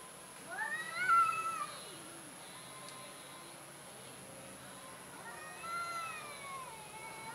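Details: Timid orange domestic cat meowing twice, each a falling, harmonic-rich cry about four seconds apart; the second is longer and wavering, with quiet background between calls.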